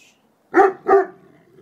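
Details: Two puppies playing noisily indoors; one gives two sharp, fairly high barks about a third of a second apart, with a person's quiet murmuring before and after.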